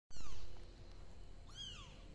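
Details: Kittens seeking their mother cat give two high, thin meows that slide downward, one at the start and another after a pause. A low steady rumble sits beneath them.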